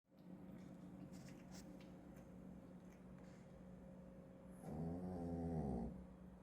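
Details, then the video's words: Shih Tzu named Genki snoring while asleep: a low, rasping, pulsed snore lasting just over a second near the end, after several seconds of quiet room hiss with faint clicks. "シーズー犬 元気のいびき"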